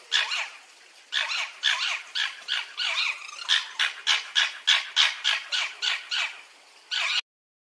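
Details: Red fox uttering bursts of fast, hoarse yips in an uneven rhythm, a short gap before the final call, then sudden silence.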